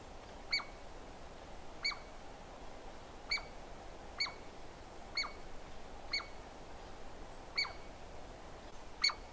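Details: Sharp, ringing chips from a Douglas squirrel, eight of them at uneven intervals of roughly a second, each a quick click with a tonal ring and a brief downward slur, with constant low rumble behind.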